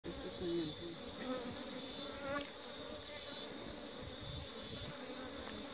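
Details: Honey bees at a beekeeping site, a steady low droning buzz with a continuous high whine running throughout, slight swells in loudness near the start.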